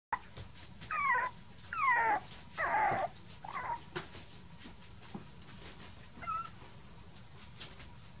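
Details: Male Toy Poodle puppy born 1 May 2018, giving a few falling, whining whimpers early on, then quieter scattered squeaks over a steady low background hum.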